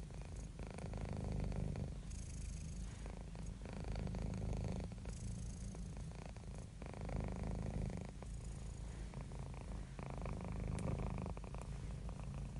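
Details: Domestic cat described as happy and relaxed, purring continuously; deep rapid rumbling vibration swells on each breath, roughly every two to three seconds, heard close up in a quiet setting.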